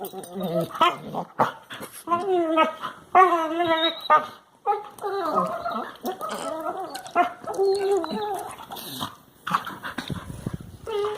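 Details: Two Labrador Retriever puppies playing together in a living room whine, yip and grumble in wavering, high, overlapping cries.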